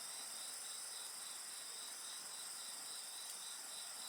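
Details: Insects singing in a dense, steady chorus of high shrill trilling, several overlapping pulsed tones layered on top of each other, with no pause and no other clear sounds.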